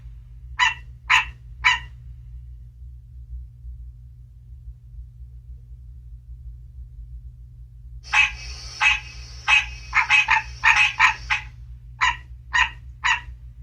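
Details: A recording of a green tree frog (Hyla cinerea) advertisement call, played to captive frogs in an indoor reptile room in mid-March: short, nasal, honking notes in quick bursts over a low, steady hum.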